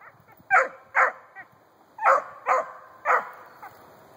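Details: A 4-month-old female Treeing Cur trees a grey squirrel den on her first squirrel tree: sharp, loud barks in pairs, about five in four seconds, with quieter yips between.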